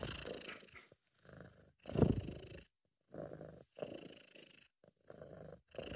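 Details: British Shorthair cat named Sabu purring while relaxed and content, amateur recording: low rumbling purr in breath-length bursts of about a second, separated by short silent gaps.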